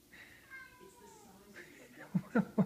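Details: A house cat indoors wanting to gather the pack gives a long descending meow, then a shorter one, ending with loud low knocks or thumps.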